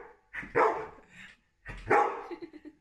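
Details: Frustrated dog barking because it cannot reach a tennis ball on top of a crate; two loud, harsh, broadband barks about a second and a half apart, indoors.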